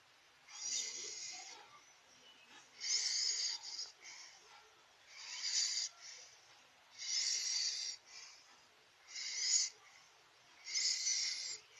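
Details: A domestic cat snores in its sleep, giving six breathy, wheezing rasps at a steady pace of about one every two seconds, with hushed gaps between and no other sounds.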